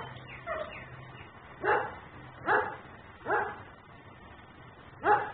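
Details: Home-camera recording from Mecklenburg of a nuisance dog left outside: faint distant yips first, then four loud, rough barks spaced under a second apart, over a low background hum.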